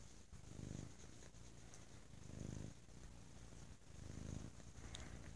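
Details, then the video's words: Bo, a pet cat, purring very loudly on a lazy Sunday: deep low rumble swelling in three rhythmic waves about every two seconds, following inhale and exhale, steady soft background hiss. "Lazy Sunday With a Very Loud Purring Bo"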